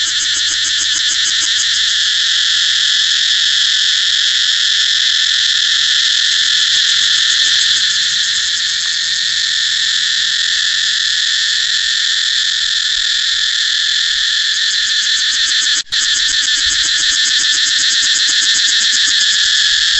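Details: A cicada drone fills the whole stretch: an intense, high-pitched, unbroken buzz with a fine rapid pulse and nearly constant loudness. There is one sharp click late on.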